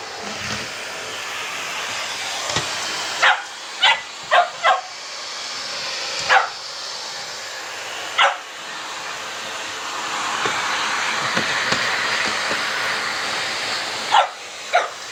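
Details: Boxer household: 10-week-old puppy Sammie meets a vacuum cleaner for the first time while Boxer Rex, a Swedish male, comes to help. Sharp single barks break out over the roar of the running vacuum, with longer gaps between them.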